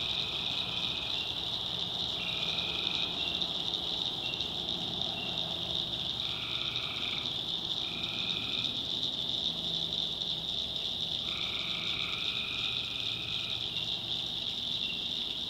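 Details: Night swamp chorus of tree frogs in the North Carolina backwoods, a constant high-pitched ringing drone with repeated separate trills of about a second, several overlapping, plus low background rumble.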